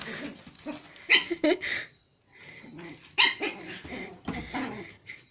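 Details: Pomeranian and Japanese Spitz playing together in Kathmandu, Nepal: sharp high yapping barks in two bursts with scuffling between them.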